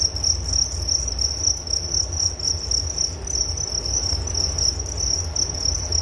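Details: Steady high-pitched cricket chorus: a dense, fast-pulsing trill held without pause, plus a softer upper buzz and a constant low rumble underneath.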